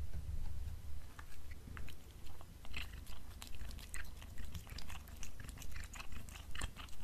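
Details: A black house cat chews beef snacks in a small room, the crunching close and regular, about two bites a second, over a low muffled background.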